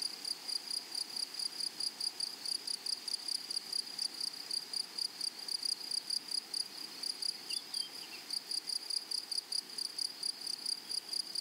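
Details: Meadow grasshoppers chirp in quick, regular, high-pitched pulses, a dry ticking buzz with brief gaps. A faint, short bird-like squeak breaks in near the end.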